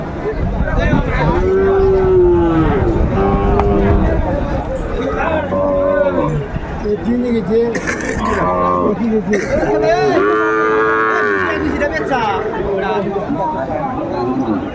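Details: Sahiwal bull calves for sale at a Dhaka cattle market, Bangladesh, on 29 December 2024. Several drawn-out, wavering moos rise and fall over about fifteen seconds. Men's bargaining voices and crowd chatter run steadily underneath.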